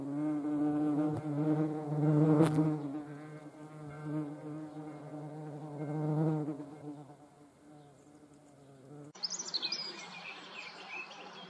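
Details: Hornet flying, a low harmonic buzzing drone that rises and falls in loudness for about nine seconds, then gives way to high, thin bird chirps at the end.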